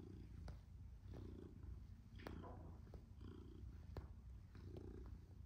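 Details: Happy kneading cat Tom, a black and white male domestic shorthair, purring; a loud, throbbing purr in roughly one-second breath pulses, with intermittent clicks and a faint voice.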